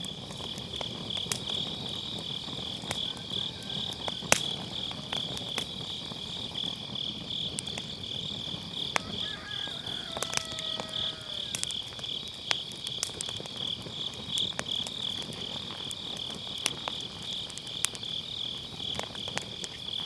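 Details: High, even trilling of grass insects on an autumn night runs throughout, with firewood crackles snapping now and then and faint gliding whistles midway; recorded by a round fire pit with an MKE600 mic and low cut.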